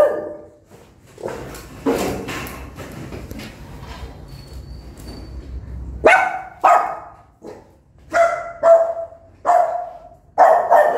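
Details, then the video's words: Newborn puppies' angry mother barking: after several seconds of muffled rumbling and soft noises, a rapid series of six clear, fairly high barks in about five seconds. "Why Are You So Aggressive And Barking For So Long?"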